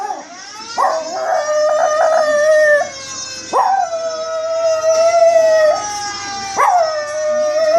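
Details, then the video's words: Pet Chihuahua named Baby howling in response to fire engine siren sound effects: long, wavering howls that start with a sharp upward slide, then hold a steady, slightly quavering pitch. Each lasts two to three seconds, and a thin siren tone runs beneath them. "Dog howling at fire engine siren sounds"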